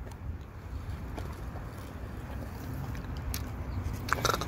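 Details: Low rumbling background noise with scattered scrapes and chewing-like clicks; no animal voice heard.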